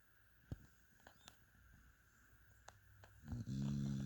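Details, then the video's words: Dog called Mia sleeping; mostly quiet room with scattered soft clicks, then a loud, deep, rattling snore beginning in the last second. "Mia the amazing snoring dog."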